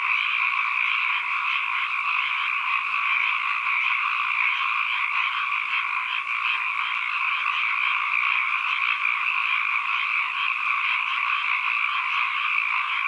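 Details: Ambient frog chorus: countless overlapping croaks merge into a constant, buzzing wall of sound in a mid and a higher band, holding at an even level for the full length without breaks.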